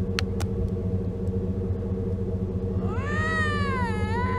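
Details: Lynx during mating season, heard beside the Mackenzie Valley Winter road, giving one rising, wavering wail in the last second and a half over a steady loud engine drone, after a couple of clicks.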